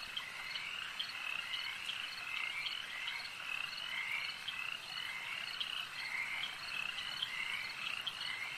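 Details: Frogs calling at a lake: a dense chorus of overlapping high trills and croaks that runs without pause, with short brighter notes standing out every second or so.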